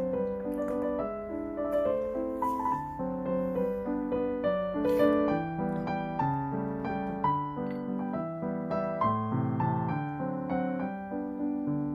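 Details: Gentle piano music with a steady melody and chords fills the whole stretch, and no animal can be heard.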